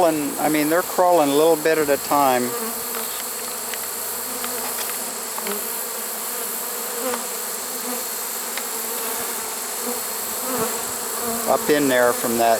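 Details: Honey bee swarm caught in a swarm trap late in the season, on 1 September 2019: a steady, dense droning hum with low tonal bands, with a man talking at the start and again near the end.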